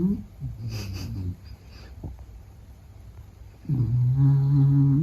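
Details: Meta the Beagle sleeping indoors and snoring: a loud, throaty tonal snore with stacked harmonics near the start, a quiet pause, then a long droning snore rising in strength over the final second.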